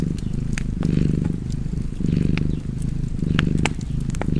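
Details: Deep cat purr in short pulsing waves, the soft rumble broken by frequent crackles and pops from a nearby fireplace.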